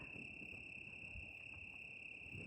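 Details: Night chorus of crickets at camp beneath a full moon amid wildfire smoke: an unbroken, even, high-pitched ringing trill over soft low-frequency background noise.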